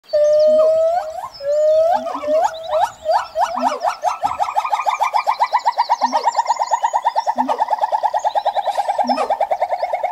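Loud upslurred whoops from a siamang open the sequence, then quicken into a rapid, steady series of barking hoots. Deep, resonant booms sound under the calling every second or so.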